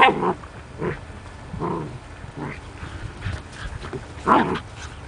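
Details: Juki, a standard poodle mother growing up with her puppies Rufous and Brutus, in a home recording; short sharp barks or yips come in bursts roughly every second, with quiet household background between them.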